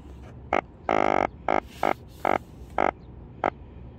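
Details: Croaking of a yellow drum (sujogi), a fish with a swim bladder: seven short, buzzy, grunting bursts at irregular intervals, one noticeably longer near the start, over a low background hum.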